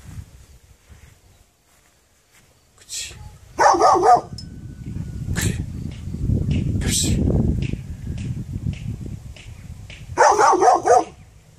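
A dog gives sharp, harsh barks in short bursts, separated by a long stretch of low rumbling noise.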